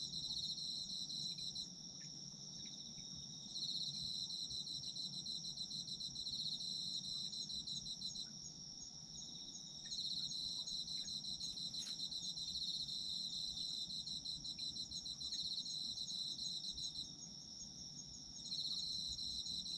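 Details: Shrill, unbroken ringing of autumn insects carries through, joined by four spells of quick, rattling trills separated by short lulls, with a few faint clicks and a gentle low rumble beneath.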